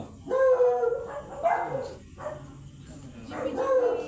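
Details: Teacup Pomeranian dog at a stud service in Sapang Manaoag, giving three tonal, harmonic yelps, each about half a second to a second long, separated by short pauses, with people talking nearby.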